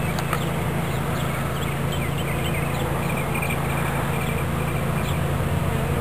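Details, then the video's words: Bees of a swarm being moved into a new hive body at Watkinsville, Georgia, produce a continuous deep humming drone, overlaid by scattered short high chirps from birds or fowl nearby. "Bee Swarm Capture"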